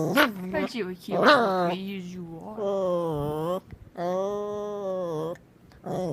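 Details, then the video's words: Puppy making weird noises indoors, giving long, drawn-out harmonic whines and moans, some held steady for over a second, with a person's voice mixed in at the start. "Makes Weird Noises"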